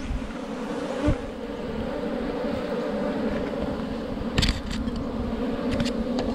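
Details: Honey bees from a wild forest hive full of honey under rocks, being caught by a honey hunter: a steady, low droning hum with a strong lower tone and a fainter overtone, broken by a few sharp knocks and handling clatters.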